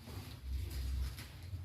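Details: Sleeping calf, one week old, snoring: a deep grinding rumble rising midway and trailing off, low and steady, in a small indoor space.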